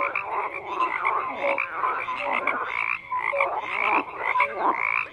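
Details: Several frogs croaking at once, a thick rasping chorus broken by short clear tonal notes and brief dips in volume.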